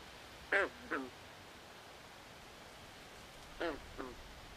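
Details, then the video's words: Night chorus at a swamp with a frog giving paired, duck-like croaks, each brief and falling in pitch. One pair comes near the start and a second, softer pair three seconds later; steady low hiss between. "Natural Ambient Sounds Of Frogs At Night"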